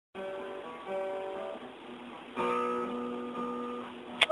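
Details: Gently strummed acoustic guitar chords ring out with a sharp click at the very end, and no animal is heard.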